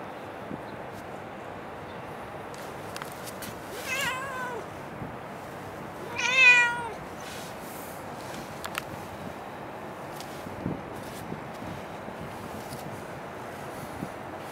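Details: Cat at Dockyard Garden, recorded 9 December 2016 around 6:20 in the morning: two short meows about two seconds apart, the second louder, each rising then falling in pitch, over a steady low background hum.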